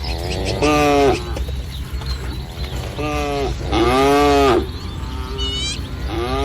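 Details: Village cattle in a herd of dozens in green fields on a sunny morning, mooing in several drawn-out, harmonic lows of about half a second to a second each, spaced irregularly, with steady low background rumble.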